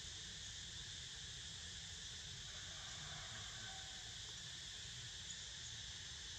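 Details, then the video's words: Cicadas droning as Niko naps: an even, continuous high hiss-like buzz with stacked tonal layers, holding a constant level with no breaks, accompanied by a soft low-frequency rumble. "Snoozing To The Sound Of CICADAS!!"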